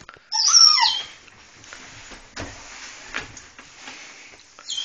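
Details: Two dogs, Taiga and the husky Raine, excitedly greet their owner in the evening, heads poking through a cat door; a loud, high, wavering whine slides downward for under a second, then quieter rustling and a short whine at the end.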